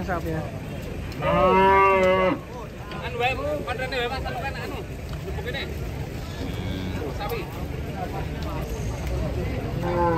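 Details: A single loud, drawn-out moo early on, rich and wavering, as cattle are unloaded from a truck; afterwards a busy mix of quieter calls, engine hum and people talking.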